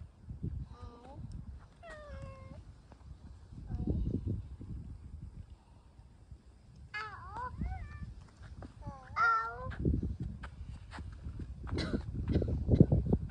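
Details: Norwegian Forest Cat in a flower garden with a girl, nose-kissing her; several short, bending meows come at about 1 and 2 seconds, then a wavering pair near 7 and 9 seconds, over rustling and soft low voices outdoors.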